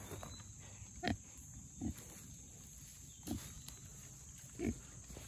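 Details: Young Mangalitsa pigs, one of four, rooting through forest soil after a big rain, giving four short, low, clipped grunts spaced about one to one and a half seconds apart against a constant high hiss and soft rustling.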